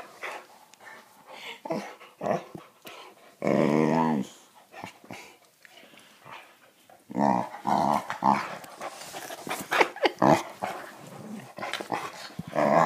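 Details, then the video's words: Boxer dog at home making noise when he feels he is not getting enough attention: rough, throaty growling and grumbling in uneven bursts, with a long moaning growl early on and louder harsh vocal outbursts toward the end. "Boxer Dog Not Getting Attention"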